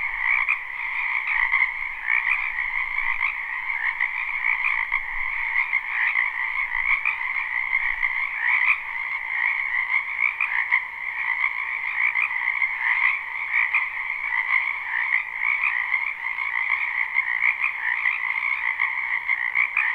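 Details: Frogs croaking in a spring wetland behind a house, a live unlooped recording: a dense continuous chorus of many overlapping trilled calls, steady and bright, with no other clear sounds.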